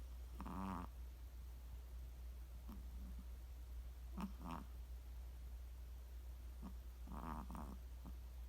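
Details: Chihuahua snoring: three short, raspy, rattling snores spaced about three seconds apart, with a few softer breaths between, over a loud constant low hum.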